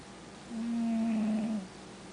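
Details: Snore from an asleep male cat, a single steady low hum lasting about a second with a faint higher overtone, rising out of and fading back into quiet background hiss.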